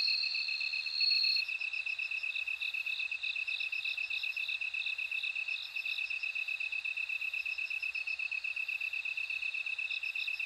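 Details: A bell cricket gives a brief, sustained ringing tone at the start, then a series of short bell-like chirps over a steady, evenly pulsed high-pitched insect chorus.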